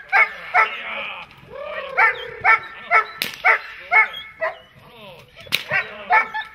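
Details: Dog barking during protection training, quick repeated barks interrupted by a whining, sliding vocal sound partway through, then the barking resumes at a rapid pace.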